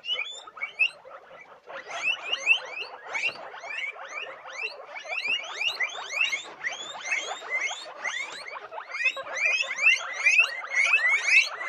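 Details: Many guinea pigs squealing at once, a thick wall of rapid, rising whistled squeaks that grows busier and louder after the first two seconds and keeps a fast, irregular rhythm to the end.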